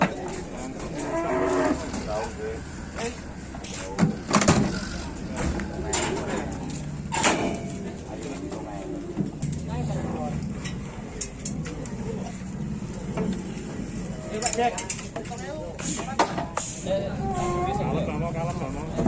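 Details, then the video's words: Cattle, described as sulking and angry because it has not yet been fed and is being taken to market, giving low harmonic moos at intervals amid loud clattering, knocks, people talking and vehicle noise. "SAPI INI KASIAN SEPERTI NYA NGAMBEK MARAH BELUM MAKAN MALAH DI BAWA KE PASAR"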